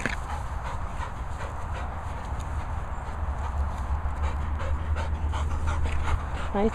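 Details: Labrador Retrievers Luna and Maizey panting: soft, breathy, rapid puffs at about three per second, fairly steady, over a constant low rumble of wind, with a short high whine near the end.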